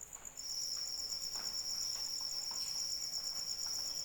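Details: A cricket starts up after a brief quieter moment and keeps a shrill, steady pulsing trill going during soft rain, drips and patter audible underneath.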